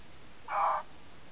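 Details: A red fox, recorded by a camera trap in the Colli Euganei Regional Park, Padua, Italy, gives one short, harsh, hoarse call against a quiet background.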